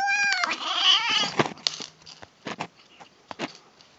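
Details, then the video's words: Female kitten making odd noises as she eats: a loud, strained meow with a wavering, warbling middle that breaks off, followed by scattered crunching and clicks of chewing. "Kitten Makes Funny Noises While Eating"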